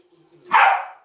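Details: A Welsh Corgi gives a single sharp, breathy sneeze while playing, a sudden hissing burst of air.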